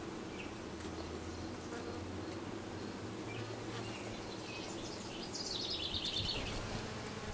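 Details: Low, continuous humming of honey bees around a new dark queen that just arrived, recorded 6/5/13, with a brief high twittering bird call near the end.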